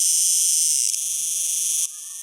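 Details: Cicada singing: a dense, steady high-pitched buzz in layered bands that holds evenly, then drops sharply in loudness near the end.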